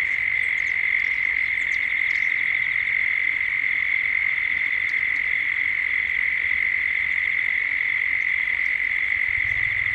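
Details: Australian cicadas calling at dusk in Gippsland, recorded as 3D sound: a dense, even, high drone that never wavers, dotted with scattered faint bird chips.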